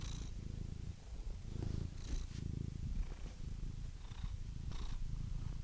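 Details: A purring cat heard close, a low buzzing rumble that pulses unevenly with each breath in and out, with soft hissy breaths above it.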